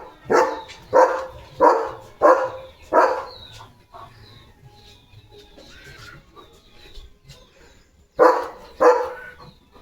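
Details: German Shepherd named Leo, a pet dog thrilled by a special chicken chips treat, barks in a quick run of five sharp barks roughly every half second, pauses, then adds two more; a person greets him good morning.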